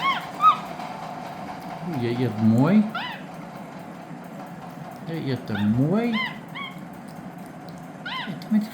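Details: Lilly the capuchin monkey, eating spaghetti, lets out a string of short arched chirps in loose bursts. Lower voiced sounds rise and fall between them, over a constant background hum.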